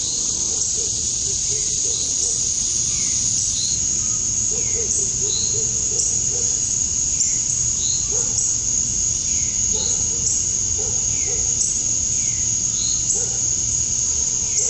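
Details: Cicadas at summer dusk in Georgia, USA, where males chirp to draw females: a continuous high-pitched drone, overlaid by short falling chirps repeating about every second and a half, plus soft low notes in the background.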